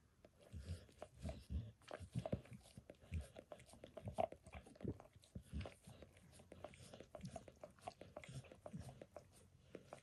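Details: A dog licks indoors while giving itself a bath, working over its paws and then a person's foot, shin and knee. Wet, smacking clicks come in irregular bursts, low and close, with no talking.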